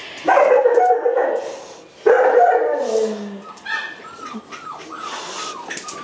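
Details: Pet dog, a male, vocalising indoors with its owner: drawn-out harmonic whining cries, then a long falling whimper, followed by short upturned yelps as a person praises it and gives commands.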